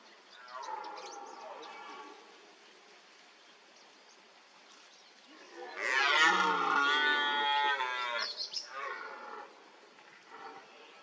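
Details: Red deer stag at a wallow during the rut; a softer moaning call early on, then after a quiet pause a loud harsh roar of about three seconds, rough and harmonic, trailing into grunts.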